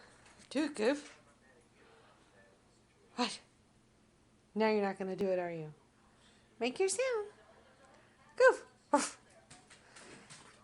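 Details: Goofy, a hungry female pet dog wanting her dinner, indoors in a small room: several separate bursts of harmonic, wavering whines and yowls, one held for about a second, with quiet pauses between them.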